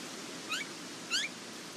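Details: Border Collie puppies from the Nell x Skeet litter at the International Peace Gardens, 12 August 2018: two short, high, rising squeaky whimpers about half a second apart over a quiet background.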